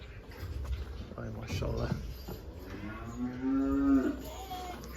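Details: Young heifer, never calved, about 300 kilograms, bought at market as a sacrificial animal and being transported in Turkey; after voices, a drawn-out low moo rising slightly, with men talking in Turkish.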